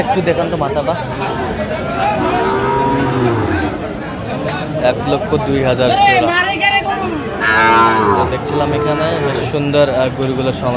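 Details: Sahiwal bull calves being bought by a farmer from Chandpur on 12/8/25: a drawn-out, falling moo around the second and third seconds, another loud bellow near eight seconds, overlapping steady men's bargaining talk and chatter throughout.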